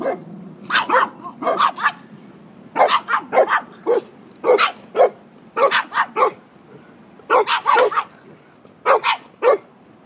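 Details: Barks from dogs at play, one of them a Pekingese, two dogs having fun together; short sharp yapping barks in quick bursts of two to four, repeated with brief pauses throughout.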